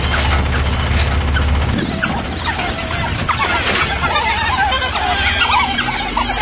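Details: African wild dogs at Harnas, Namibia, while feeding: a dense chorus of high, squealing, twittering calls overlapping continuously, with low rumbling background noise throughout.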